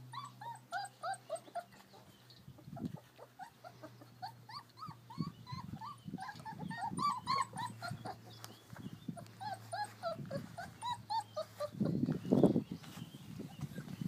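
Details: Playing in the garden on a beautiful day, American Akita puppies give a busy stream of rising-falling whines and yips from more than one pup, interspersed with scuffles and a louder low growly burst near the end.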